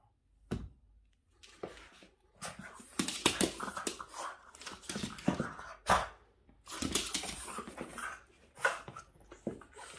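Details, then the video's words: Boston Terrier named Yoda, indoors in a small room, upset at the window cleaner: loud, harsh barks and huffs come in irregular bursts across ten seconds, with panting and short quiet gaps between volleys. "Crazy Boston terrier dog Yoda gets upset at the window cleaner"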